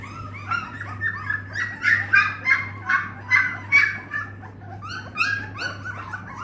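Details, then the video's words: Dogue de Bordeaux puppies whimpering and yelping in a steady run of short high, wavering cries, about two per second, with a constant low electrical hum underneath. "Dogue de Bordeaux puppies"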